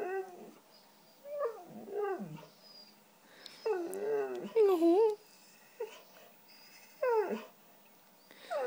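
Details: White female Siberian Husky 'talking' indoors, asking for cheese doodles: a run of whiny, bending howl-like yowls rising and falling in pitch, several rapid wavering bursts in the middle, with a person's voice faint between them.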